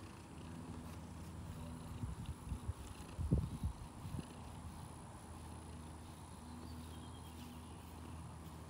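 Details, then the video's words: A neighbour's female cat coming to greet someone in a garage one morning, purring in a low, even rumble, interrupted for a couple of seconds by rustling and handling noises before the steady purr resumes. "Sweet neighbors cat, Always come to me and say Hi! every morning!"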